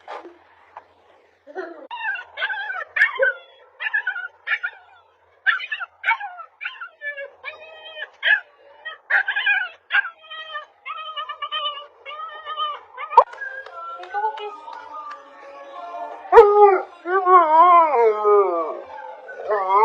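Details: Husky puppies, a compilation of cute puppy moments: a busy run of short high yips and whimpering squeals, some wavering and rising, repeated irregularly over twenty seconds, ending in longer wobbling whines.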